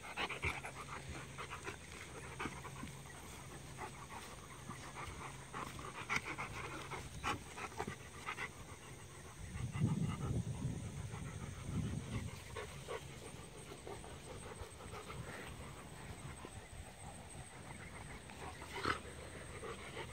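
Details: A 5.5-month-old female Rottweiler puppy plays rough with a 1.5-year-old male Rottweiler on her sixth day in the home, the pair giving low, rumbling growls mixed with quick, rhythmic panting.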